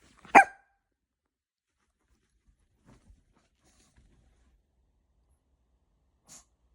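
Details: A single sharp Pomeranian bark indoors, one loud burst near the start, then near silence with faint small knocks and a brief soft sound near the end.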